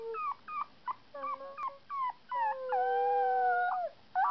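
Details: Howling of a 2.5-week-old male puppy, usually quiet: short tonal yelps rising and falling, then a longer held wavering howl near the end, repeated in bursts with brief pauses.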